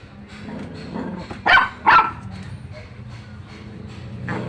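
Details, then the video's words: Dog letting out two short barks in quick succession midway, surrounded by low rumbling background noise and a faint later sound. "Dog bark"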